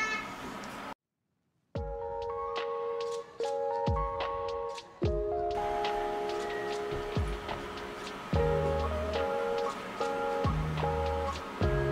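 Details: Steady piano-like background music with a soft ticking beat, a brief silent gap near the start, and no animal sound.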